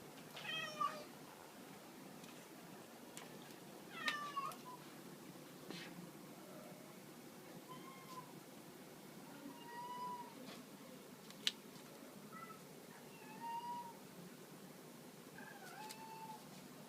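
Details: Two female shelter cats at Hana no Ki Shelter, Chris an American Shorthair and Hachimaru a tuxedo, playing with a cat teaser toy; short rising and falling meows repeat every few seconds, some with harmonic bands, in a quiet room.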